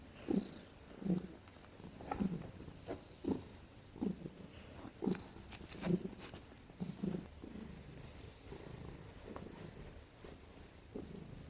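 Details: Domestic cat making soft noises while being petted and snuggling indoors: short low chirping trills repeated roughly once a second, each a brief warbling burst over a steady purring rumble.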